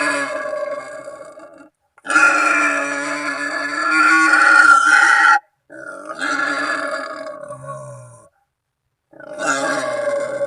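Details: Wild boar voice used to lure animals while hunting from a hide, calling companions or rivals. Sustained, rough, tonal cries lasting about three seconds, then shorter ones after brief pauses.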